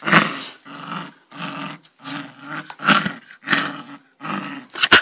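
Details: Angry dog giving a series of rough, harsh growl-barks, each burst about half a second long, roughly one every 0.7 seconds, with a thin steady high tone running behind.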